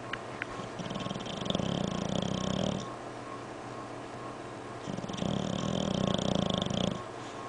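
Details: Snoring from a sleeping English Bulldog, two drawn-out rattly, purr-like breaths of roughly two seconds each, separated by a quieter pause, in a small room.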